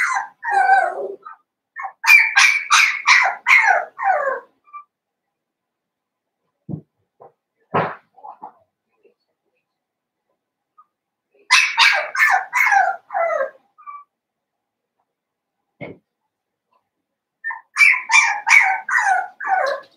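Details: Seven-week-old blenheim Cavalier King Charles Spaniel puppies in a home puppy pen, a New Year litter of five: three bursts of rapid, shrill, high yaps, each lasting about two seconds, separated by quiet gaps with a few soft thumps.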